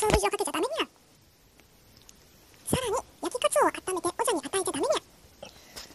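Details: A house cat named Ojako, a brown tabby, chatters in a run of wavering up-and-down meows. An opening burst is followed by a pause, then a longer string of rapid arched calls.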